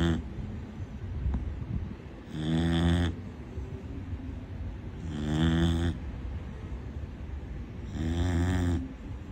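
A Corgi puppy snores in loud, rasping breaths, about every three seconds.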